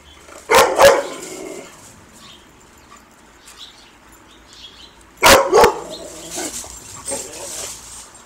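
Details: Barking dog on squirrel patrol, chasing a squirrel called Bob: quick double barks, a pair at the start and another pair about five seconds later, over a faint outdoor hiss.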